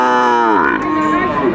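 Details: Single drawn-out moo from Sahiwal bull calves at Ambari cattle market in Dinajpur, Bangladesh, on 11 March 2024. The call starts high, bends downward in pitch and then holds steady, with strong harmonics.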